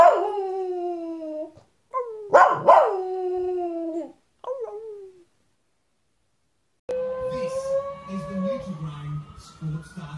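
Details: Poodle howling, from a 2016 barking and howling compilation: several long, wavering, mournful howls broken by short pauses, then a person's voice over a faint steady tone after the howling stops.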